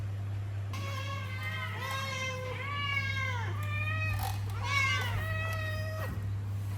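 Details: Hungry pet cats, already fed, beg at snack time with a rapid series of drawn-out harmonic meows, about six overlapping calls rising and falling, with a steady low hum beneath.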